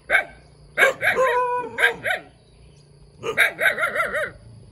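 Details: Cute puppy yapping: a single high bark, then a rapid cluster of sharp yips with a thin whining tone, a pause, and a final run of five quick barks.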